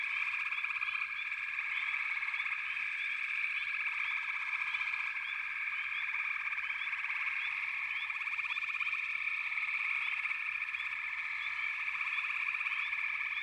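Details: Backwater frog chorus running unbroken: countless callers layer rapid pulsed trills into a constant high drone, with short upward chirps scattered across it and no other sounds.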